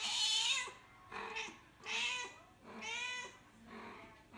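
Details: Mother cat calling for her kittens; five meows in quick succession, the first long and loud, the others shorter, some slightly strained and wavering, with a bent, falling pitch at the ends.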